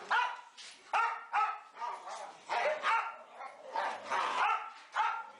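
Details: Four Boxer dogs playing together indoors in a dimly lit play room; about ten sharp, harmonic barks and yips come in uneven bursts, some overlapping, with a brief human voice in the background.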